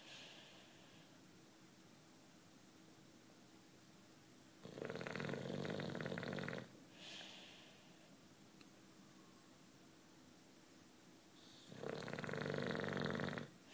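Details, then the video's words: British Bulldog Juanito, aged nine, dozing and snoring: two harsh, vibrating inhaled snores about seven seconds apart, each roughly two seconds long, with a short breathy exhale after the first. "Bulldog Snoring"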